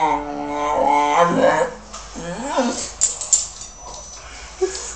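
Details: Pet English Bulldog named Denzel 'talking' in a way that sounds like 'mama': a drawn-out, harmonic moaning whine for nearly two seconds, then a short rising-and-falling yowl, followed by faint clicks and soft rustling indoors.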